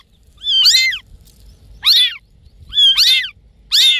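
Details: Playing cats calling noisily; four high-pitched, strained meows, each bending up then down, spaced roughly one second apart in an otherwise quiet room.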